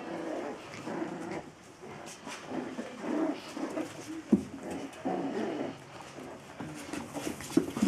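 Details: Indoors, a Biewer terrier from the pair Lola and Rickie makes grumbling, nasal growls and whining tones in short, uneven bursts, with a sudden click-like sound midway.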